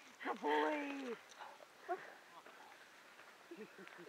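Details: Buford the dog, romping and singing, lets out a short rich howl that rises, holds level, then slides down within a second; people talk quietly afterward.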